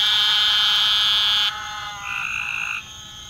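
A frog gives a loud, shrill, buzzing trill that cuts off, followed by a thinner tonal note.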